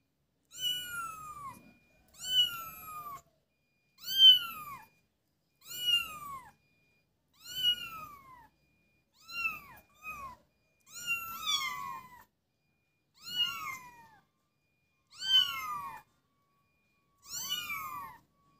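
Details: Ten clear, evenly spaced kitten meows, roughly one every one and a half seconds, each a high, whining call that rises slightly then slides down, from playful kittens; near-silent between calls.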